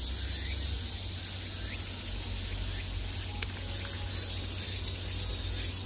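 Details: A continuous high-pitched drone from many cicadas in summer, filling the air without a pause, with a few brief faint chirps on top and a low steady rumble below.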